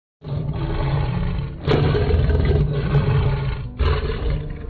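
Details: A leopard, heard at close range, gives a deep, rumbling roar, heavy and rasping, in loud low bursts.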